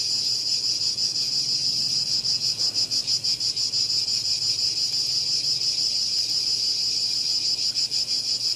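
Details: Cicada giving a sustained, piercing electric buzz with a steady rapid throb, unbroken from start to finish.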